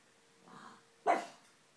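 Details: A pug gives a single short, sharp bark, preceded by a faint softer sound, in an otherwise quiet room.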